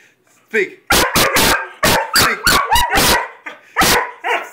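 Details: Weimaraner and Vizsla dogs bark on a "speak" command: a brief whine, then a rapid volley of about ten sharp, overlapping barks, some with a rising squeaky edge.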